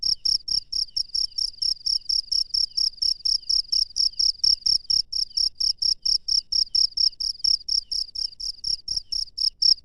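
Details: Wild cricket chirping after dark, a continuous ringing series of high pulses at an even pace, with faint low knocks underneath.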